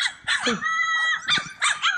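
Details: Playful Cane Corso puppies let out loud, high, squealing yips in quick bursts, with a long steady whine between them.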